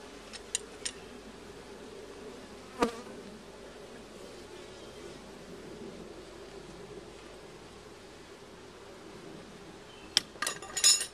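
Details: A colony's steady buzzing drone during a first hive check, with some bees carrying yellow pollen back to the hive. Scattered clicks and knocks, clustering toward the end.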